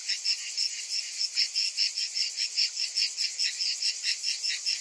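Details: Summer cicadas making a piercing, rasping buzz in distinct rhythmic surges, roughly two and a half per second, layered over a continuous high shimmer.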